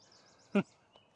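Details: Basset Hound giving a single short, sharp bark outdoors near a tree, a loud harmonic burst standing out over quiet background, followed by a faint brief sound.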